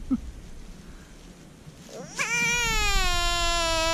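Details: American bullfrog held by hand after catch and release. After a quiet start, a sharp rising yelp breaks into a long, steady, high-pitched wail that slowly sinks in pitch and lasts to the end.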